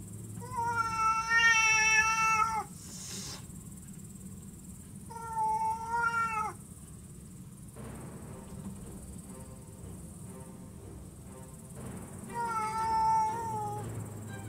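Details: Aggressive stray cat visiting a cat room late at night, voicing three drawn-out, wavering harmonic meows spaced several seconds apart, with quieter rustling and a low steady hum between them.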